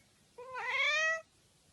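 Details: Domestic cat giving a single drawn-out meow of almost a second, starting softly, then growing louder and slightly rising in a bright, harmonic-rich tone before stopping abruptly, in a quiet indoor setting.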